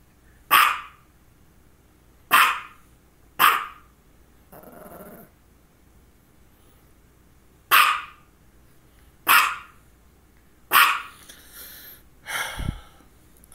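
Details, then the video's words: Domestic dog, a female, barking in a session that falls between two focal seizures, one just before and one shortly after. Sharp single barks come in bursts with pauses between, alongside a brief rasping growl-like sound and a quiet background. "Barking and two focal seizures"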